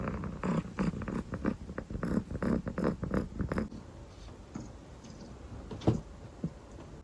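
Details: Sleepy calico kitten, dilute coat, purring in a quick rumbling rhythm for the first few seconds, then quieting to a faint purr with a single soft click later.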